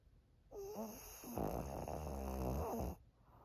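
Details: Maria, a 13-year-old senior female fawn pug in Japan, recorded indoors on 3 October 2023, gives a loud, rattling snore. A short nasal snort comes first, then a buzzy, throaty snore that runs steadily for about a second and a half.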